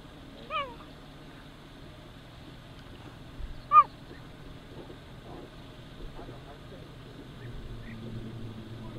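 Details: A cheetah (Acinonyx jubatus) gives two brief, high-pitched, bird-like chirps a few seconds apart over faint low rumbling, possibly a distant engine; cheetahs mimic birds so as not to attract lions and scavengers to kills and young.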